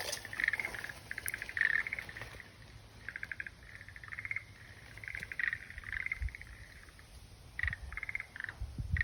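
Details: Frogs calling in spaced bursts of pulsed, rattling croaks with short gaps between, a quieter stretch midway and faint low background noise.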